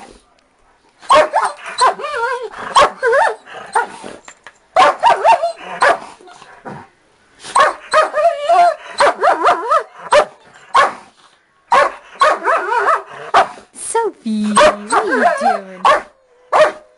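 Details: Two pet dogs, a Dachshund of 4 and a blue Doberman of 5, jokingly called vicious. Rapid clattering barks mix with wavering growls in bursts of one to two seconds, with a brief steady whine near the end.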